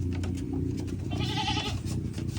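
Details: Goat near a tree said to be good for goats: a short, quavering bleat in the middle, partly masked by a steady low hum and background noise.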